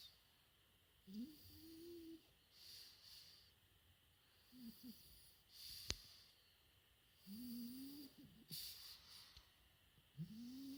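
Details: Four-month-old French Bulldog puppy snoring in sleep: wheezy, whistling tones rising and falling on each breath, with soft breathy hiss between snores, roughly every few seconds.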